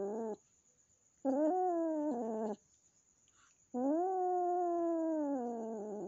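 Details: Newly adopted kitten, a gift from a friend, meeting the household cat and still afraid of it, indoors; long drawn-out wailing yowls in three bouts, steady and slightly wavering, with short pauses between them.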